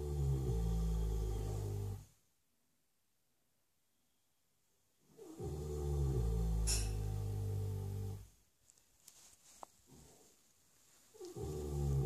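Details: Asleep flat out in his stable, Ben the six-year-old Shire horse snores in long deep rattling rumbles, each lasting a few seconds, with near-silent pauses between breaths and a brief rustle in the quiet gap.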